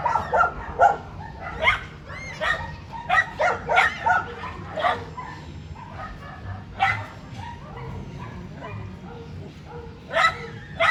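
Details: Dogs at a dog zoo in Japan, May 2022, calling out energetically; clusters of high yappy barks early, then spaced single barks, with faint voices behind.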